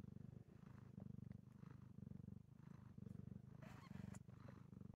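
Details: Mother cat Enza, just after giving birth to six kittens in Markdale, Ontario, purring closely: a low, even rumble pulsing in regular breaths, with a faint rustle near the end.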